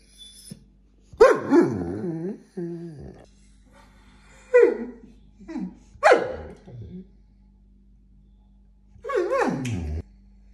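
A Vizsla gives a run of complaining vocalisations, wavering moans that rise and fall in pitch. Each whine lasts about a second, separated by short pauses, with a low steady hum in the background.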